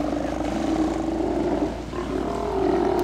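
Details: Steller sea lion colony, Mitlenatch Island, 8 October 2012, males hauled out together: overlapping guttural roars held steadily, dipping briefly then rising again near the end, backed by a persistent low engine rumble.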